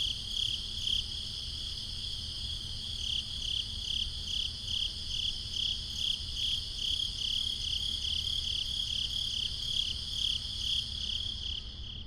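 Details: Steady high-pitched cricket chirps pulsing roughly twice per second for twelve seconds, the insect chorus sitting above a faint low-frequency rumble.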